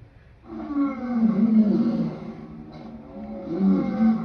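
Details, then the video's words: A lion's deep, groaning roar swells after a brief quiet start, holds low and strained, dips, then rises again in a second throaty surge. "Lion sounds part 2"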